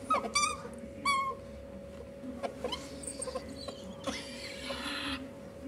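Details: A male hob and a female jill ferret mating; short, high squeaks repeat in quick succession, followed by scattered soft calls and a burst of scuffling noise, with a steady hum throughout.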